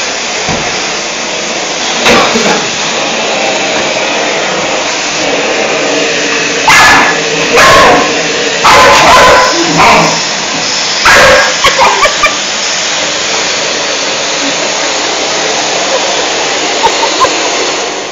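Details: Young female dog Gresca, five months old, barks repeatedly at a vacuum cleaner, loud sharp barks in irregular bursts, some doubled, over the constant whooshing drone of the running machine.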